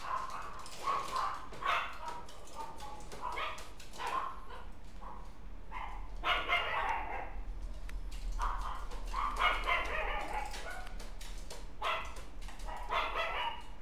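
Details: Puppy from a breeder listing, filmed November 19, giving quick bursts of short, high, harmonic yips and barks, several in close succession with brief pauses, over a steady low hum.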